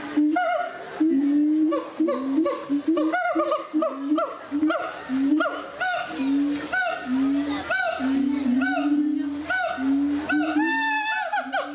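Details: Gibbons sing at Doué-la-Fontaine Zoo, France, in 2010: a run of clear, hooting notes that quicken and climb into rising whoops.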